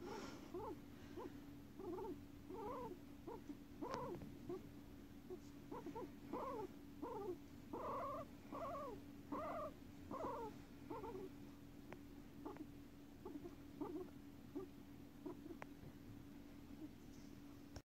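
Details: Pet guinea pigs Guinea and Pig, both five years old, sharing a home: a run of brief rising-and-falling squeaks repeated in rapid sequences that thin out toward the end, with a constant background hum.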